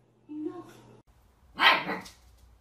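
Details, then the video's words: Puppy in a compilation of cute barking puppies, heard indoors: a soft, steady tonal sound first, then after a short pause one sharp, bright bark that fades quickly. "Puppies Barking A Cute Dogs Barking Videos Cute Compilation"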